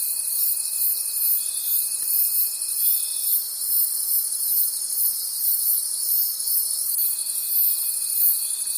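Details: Crickets calling at night in a forest: a dense, shimmering high chorus pulsing about three times a second, with a steady thin whining tone over the first three seconds and again near the end.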